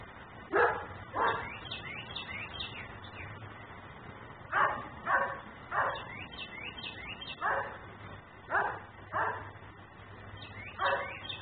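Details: Nuisance dog left alone outdoors in Mecklenburg, recorded by a camera running continuously; loud separate barks, some paired, spaced over several seconds, while small birds twitter repeatedly behind them.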